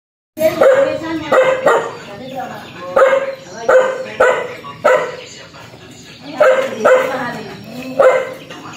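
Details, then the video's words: Fierce dog barking aggressively: about nine loud, harsh, mid-pitched barks in quick succession, some doubled, with short quieter gaps and a faint background hum. "Suara anjing galak menggongong_dog sound"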